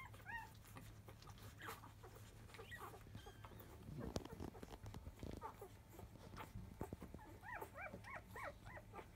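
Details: Five-day-old field-type Labrador Retriever puppies fussing as they begin nursing indoors just after 1 pm: a few thin, arching whimpers at the start and a quick run of rising-falling whines near the end, over a steady low hum and rustling.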